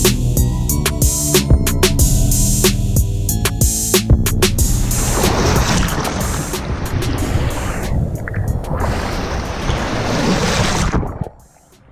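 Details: Music fades into rushing surf and wind noise that stops abruptly near the end, with no animal calls.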